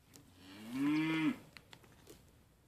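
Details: A single drawn-out bleat lasting about a second, steady then dropping sharply at the end, from one of two sale-barn Mini LaMancha goats, Maggie and Abbie, which are being tamed to eat from a hand. Faint clicks and rustling follow.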